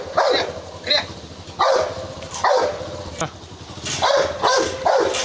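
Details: Rottweiler attacking a man in India, giving sharp, explosive barks in uneven bursts, about eight across the stretch, mixed with human voices and background rumble.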